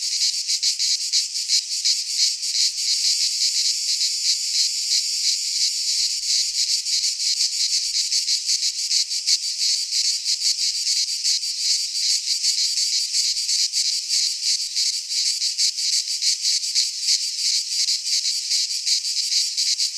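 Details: Midsummer cicada chorus from a Greek pine forest: a continuous, loud, high-pitched rasping drone with rapid, slightly uneven pulsing, steady throughout, no birds or people audible.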